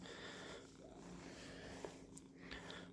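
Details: Domestic cat Percy purring while being brushed indoors; a soft, steady low rumble with rapid pulsing runs throughout, with faint handling rustles and brief clicks of the brush on fur.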